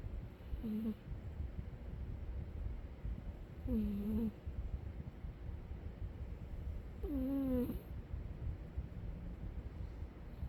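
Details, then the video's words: A sleeping cat snoring, three squeaky, whistle-like snores, each briefly falling then holding steady, coming roughly every three and a half seconds over a low, steady rumble. "the cat sleeping and snoring"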